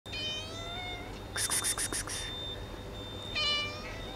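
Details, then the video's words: Lonely street cat meowing on the street near a grocery store in the morning; two drawn-out, harmonic meows, one at the start and one near the end, with a burst of clattering noise between them and a steady background hum. "Lonely cat meowing as always on the street"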